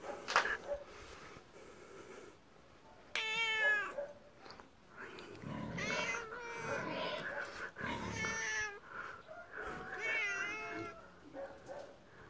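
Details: Pet tiger-striped cat, male, made angry during play indoors, gives several long harmonic yowling meows, wavering and drawn out, separated by short pauses, with some handling noise between calls.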